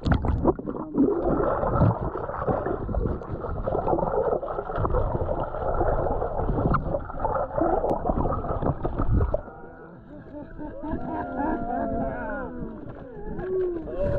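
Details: Friendly gray whales, a mother and calf, at San Ignacio; heavy splashing and rumbling water noise first, then a series of curving, rising and falling tonal moans with harmonics in quieter water.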